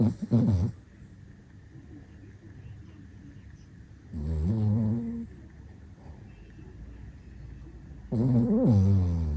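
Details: Pet dog snoring in the morning: three long rasping snores about four seconds apart, each a low buzzing rumble lasting around a second, with quiet breathing in between indoors.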